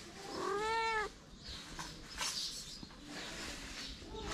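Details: A hungry feral kitten beside its mother gives one loud, drawn-out mew lasting about half a second, steady then dropping, followed by quieter rustling and faint movement sounds.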